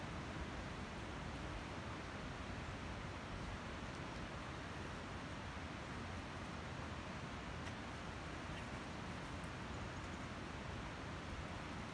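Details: Unbroken broadband rushing noise, like strong wind or surf, fills all twelve seconds at an even level with no distinct calls.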